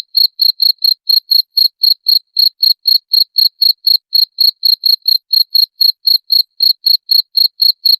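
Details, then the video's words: Shrill cricket chirps, used as a rat repellent sound, pulse steadily at about four a second for the whole stretch against a silent background. "SUARA JANGKRIK PENGUSIR TIKUS"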